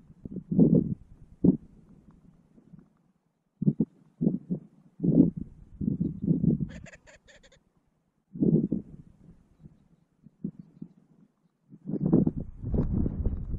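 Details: Gunnison's prairie dogs, two males vying for dominance at a burrow during April mating season in Valles Caldera National Preserve, New Mexico, filmed by remote GoPro; deep grumbling snarls in separate bursts, a brief rapid clicking rattle midway.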